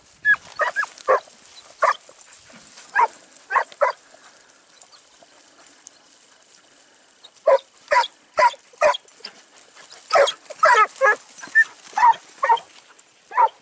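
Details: Segugio Italiano hound in Evros, recorded 12 September 2018 during training: bursts of sharp, yelping barks in quick irregular runs, a busy cluster early on, a quiet pause mid-way, then a dense volley of barks to the end.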